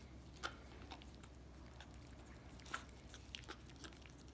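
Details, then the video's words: A Miniature Australian Shepherd laps peanut butter from a foot, giving faint moist licking ticks with a few sharper sticky clicks standing out, all low in volume against a quiet hum. "Dog licking peanut butter off foot again"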